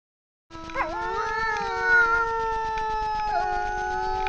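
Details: A wild grey wolf pair howling together at night before a camera trap in the Frýdlant region, Czech Republic: two long, steady, smooth tones, one low and one higher, each opening with a brief bending slide.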